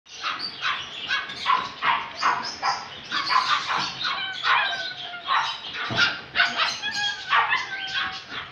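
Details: Male Yorkshire Terrier barking: a fast series of sharp, high barks, several per second, some with brief yips between, continuing through the whole stretch with short pauses.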